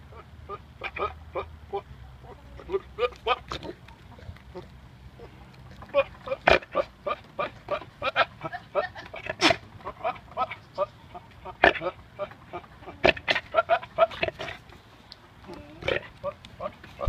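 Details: A goat that got wind of someone gives a rapid run of short, rough grunts and snorts, some with a brief nasal bleat.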